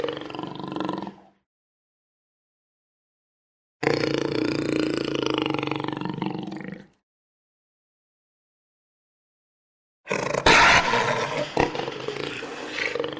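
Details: ['Roaring jaguar: a brief rough roar, then a three-second throaty roar with steady harmonics, and after a silent pause a loud, harsh, crackling roar with sudden bursts.']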